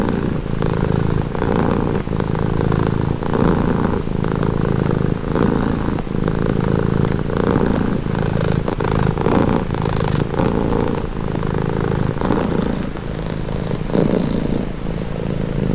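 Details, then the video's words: Long, even purring from a pet cat, heard as a calming low-pitched rumble pulsing in regular breath cycles about every second, close and uninterrupted throughout. "Purring cat | Calming Relaxing Nature Sound"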